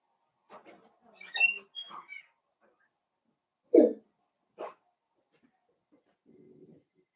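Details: Blenheim Cavalier King Charles Spaniel puppies, a litter of five born on New Year's, playing with their mother in an indoor puppy pen: scattered squeaky yips and whines, a louder yelp midway, then a soft low growl near the end.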